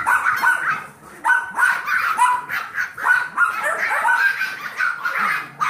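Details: Foster litter of seven-week-old Yorkies, kept busy by Trouble, a 15-week-old Golden Retriever mix. Thin, piping barks repeat irregularly, about every second or two, overlapping in a chattering stream.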